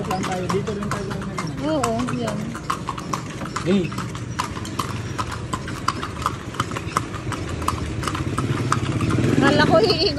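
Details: Horse carrying riders around Vigan, Philippines; hooves clack in a quick repeated clip-clop while people chat loudly nearby and a vehicle hums in the background.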